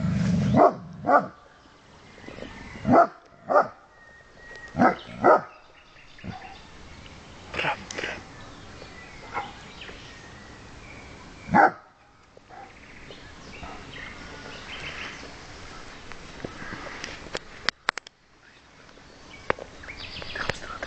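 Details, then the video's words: Porthos, an 11-month-old dog, barking: loud, sharp single barks come in a quick cluster over the first six seconds, then spaced out with long pauses. A quieter stretch with faint clicks and rustling follows. "Porthos barking"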